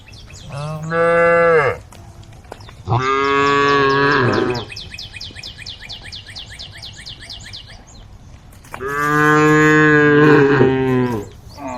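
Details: A group of cows roaming a road give long, deep moos, each over a second long, calling the herd.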